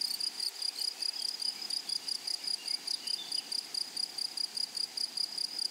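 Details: Grasshopper song in a flowery meadow: short bursts of high shrill buzzing repeated about four times a second over a constant thin whine, with a faint chirp from another caller.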